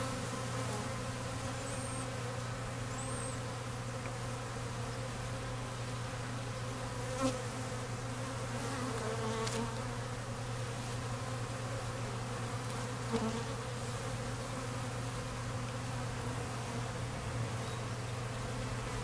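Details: Honey bees crowding an open feeder with leaned-up honey frames while nights are still cold, some bees fighting; a steady, low, droning buzz of many bees throughout, with a few faint high chirps and occasional soft knocks.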